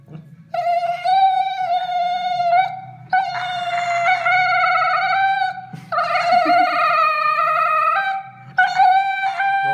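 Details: Siberian husky howling after anesthesia: long, steady, tonal notes held one to three seconds each, with brief breaks between them and a low hum underneath.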